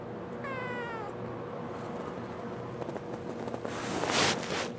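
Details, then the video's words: Young pet cat gives one wavering, harmonic meow as if answering a question, followed by rustling and a burst of broadband noise near the end. "Talking Kitten Responds To Questions"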